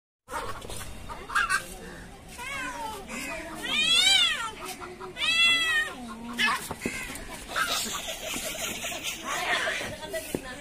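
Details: Cats, one brown and one black, in an angry fight: drawn-out wailing yowls that rise and fall in arching sweeps, two loud bursts midway, with a human voice and handling noise around them.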